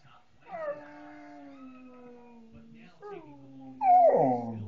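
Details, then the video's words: Coonhound baying along with a person's howling. A long, steady, low drawn-out howl holds for about two seconds, then a shorter one follows, ending in a louder, wavering, rising-and-falling bay. "Coonhound Baying with Person"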